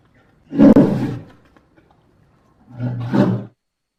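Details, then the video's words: Two deep, grating roars from a polar bear, the first loud and rough, the second lower and more rumbling, about two seconds apart with quiet in between. "Polar Bear Sound Effects"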